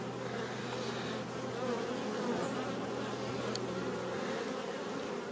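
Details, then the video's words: Western honey bees buzzing inside a colony created this year, heard during a hive inspection; a steady, dense low hum fills the whole stretch without break, with a faint constant drone underneath. "Visite des essaims créés cette année"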